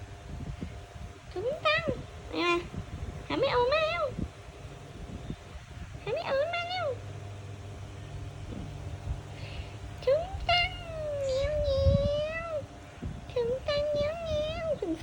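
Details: Kitten cries in a string of short meows, then draws out a long, level wail near the middle. Quick rising meows close the passage, over a low background hum and occasional voices.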